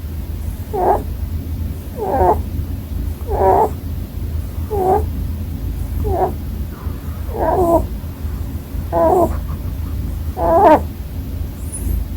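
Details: Pet Holland Lop rabbit snoring in its sleep, about nine short squeaky, rasping bursts at a fairly even pace of one every 1.3 seconds, the last sharper and higher, against a low constant room hum.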